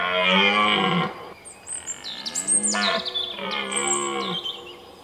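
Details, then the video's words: A red deer stag in the 2017 rut at sunrise in the Weerterbos gives deep, drawn-out, moaning roars, with thin bird chirps high above. "Edelhert Weerterbos"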